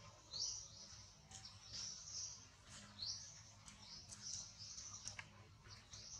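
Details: Baby monkey, described as too small, crying in shrill upward-sliding squeals roughly every two to three seconds, irregularly spaced, against quiet low-frequency background noise.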